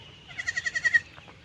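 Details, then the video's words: Farm goat grazing beside a pond in a Bangladeshi village, giving a single quavering bleat of about six rapid pulses over half a second, then a short faint tail; quiet low rumble beneath. "পুকুরের পাশে ছাগল ঘাস খাচ্ছে"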